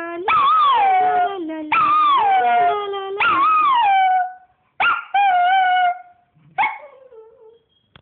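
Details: A Yorkshire Terrier 'sings', giving a howling song of drawn-out howls that swoop up and slide down in pitch, with a lower voice beneath.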